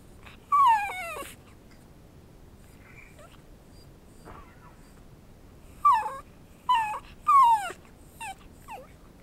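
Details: Bowzer, a trick-trained pet dog being taught to speak for chicken, whines instead of barking: high nasal whimpers sliding downward, one early and then three close together near the end, with quiet pauses between.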